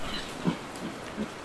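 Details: Wild boar arriving at a salt lick at night, watched from a hide, a group with many piglets and an uneasy sow; two short, low grunts about 0.7 seconds apart over a steady noisy background.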